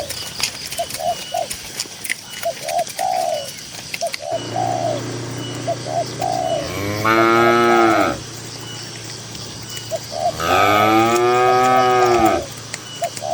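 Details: Tame cattle grazing in a cool green rural field moo twice, each call long and layered, several seconds apart; short, repeated coos of a dove-like bird run steadily beneath and between them.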